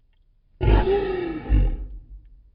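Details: Lion; roar; marking territory and staying in touch with the pride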